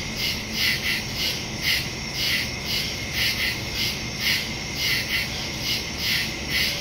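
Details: Woodland crickets at night, recorded September 2, 2023 using a Samsung Galaxy S22 Ultra and Shure MV88+ stereo microphone; high chirps rise and fall in loose, repeating pulses over a persistent shrill hum.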